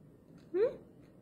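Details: Kallu, a male house cat healing from a ligament injury, asks for the food his owner is eating: a single short rising meow, over quickly, in a quiet indoor room.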